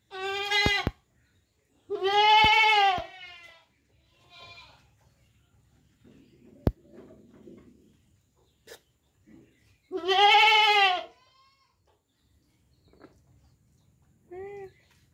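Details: Goat giving loud, quavering bleats, one short then a long one, a pause, then another long bleat around ten seconds and a brief faint one at the end; soft rustling and clicks in between.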